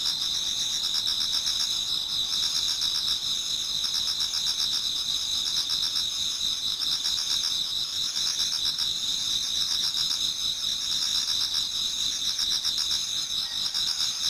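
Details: Autumn insects in a Japanese garden near dawn, a crowd of singers forming a constant shrill chorus; a steady high ringing tone is layered with rapid pulsed trills that swell in faint groups every couple of seconds.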